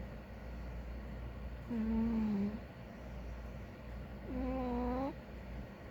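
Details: Two long, clear whistling snores from a big ginger cat fast asleep, the first level and slightly falling, the second dipping then rising, separated by quiet breathing and a steady low background hum.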